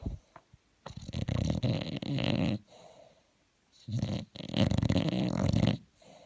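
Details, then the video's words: Bulldog asleep and snoring, two long, harsh, low-pitched rasping snores with a faint softer breath in the pause between them, heard indoors. "un bulldog qui ronfle"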